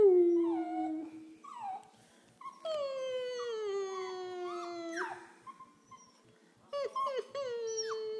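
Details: An 11-week-old female Pembroke Welsh Corgi mimics her owner's whines and howls, giving long falling howls with cracking, squeaky breaks, a pause, then shorter yips and a steady howl.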